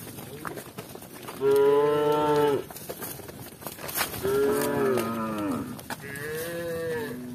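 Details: Cows from a village herd walking with shepherds give three moos: a long, level, loud low call, then a shorter one with a falling end, then a fainter drawn-out one.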